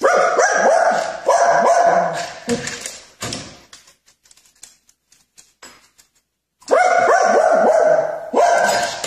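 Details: Repeated bright, harmonic barks from a dog in a funny pranks compilation open the recording, fade into a quiet stretch with soft ticks and thumps, then return as a loud, rapid barking burst near the end.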